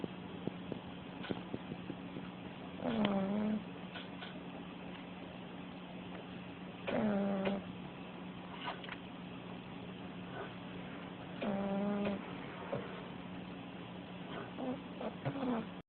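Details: Female puggle asleep with her head up after playing until worn out, snoring loudly: a whistling, falling tone about every four seconds over a steady hiss.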